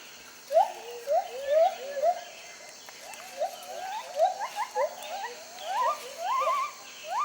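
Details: White-handed gibbon song in forest canopy: a steady run of short upswept whoops, spaced about half a second apart, growing busier and higher toward the end, with a faint low hum beneath.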